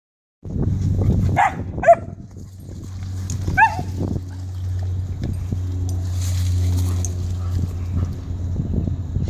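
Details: A 14-week-old German Shepherd puppy contests another dog that has taken over its digging spot. It gives short, rising, bent yips early on over a steady low rumble, then goes quieter.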